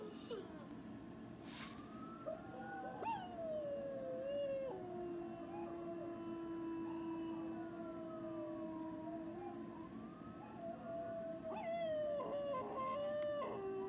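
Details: A pet dog howling: long, steady, drawn-out tones that hold level, then dip and rise again, with a second sustained voice overlapping through the middle and faint background hum.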